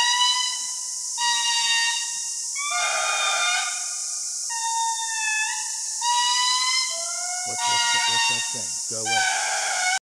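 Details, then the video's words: Chorus of Indri lemurs in Madagascar's Andasibe Forest, a song carrying up to 2 km that tells other groups where they are and warns them away: overlapping sustained, eerie wails, level then gliding upward, several voices in sequence. "The eerie call of the Indri lemurs"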